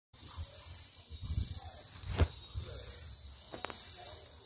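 A cicada sings in high, shrill buzzing bursts, each about a second long, repeating steadily.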